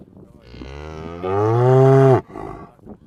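A cow gives a long, deep moo that swells louder before cutting off abruptly.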